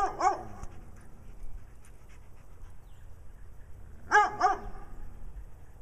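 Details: Brown dog barking in Wadena, Minnesota, beside a second dog acting nutty, both seeking attention; a sharp bark opens, then quiet handling noise, then a quick pair of harsh, mid-pitched barks near the end.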